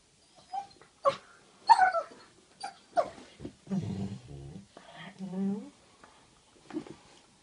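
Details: Two dogs, Amor and Queenie, squabbling indoors after one steals a bone and then provokes the other: sharp yelps, low rumbling growls and a rising whine, with mixed bursts of vocal noise.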